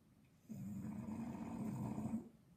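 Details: English Bulldog asleep and snoring loudly, a single sustained low, buzzing, rattling snore lasting nearly two seconds.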